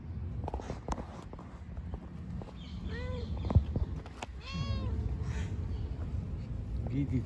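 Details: Little kittens at play in a park: two clear, drawn-out meows a second or so apart, each swelling up then sliding down, set against a constant deep rumble and light scuffling clicks.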